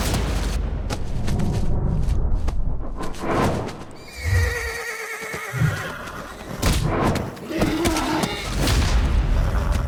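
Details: Wild mustang from a free-roaming herd in eastern California. A tremulous, wavering whinny rises mid-clip over low rumbling thuds and background noise, with a few shorter snorting bursts afterwards.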